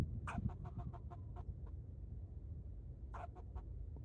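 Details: A squirrel in a tree, jumping from tree to tree, barks at a cat below, giving a rapid run of harsh, clucking barks that slow down, then a second brief burst.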